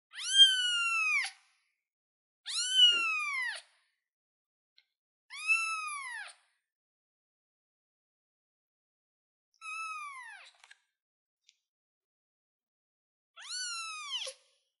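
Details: A kitten on a chair calls repeatedly with piercing meows that curve downward, five calls roughly every three seconds in an otherwise quiet room.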